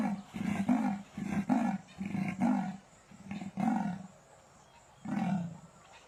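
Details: A leopard's hoarse, sawing call: deep rasping strokes in short bursts, each about half a second long, separated by brief pauses, with a longer gap before the last stroke.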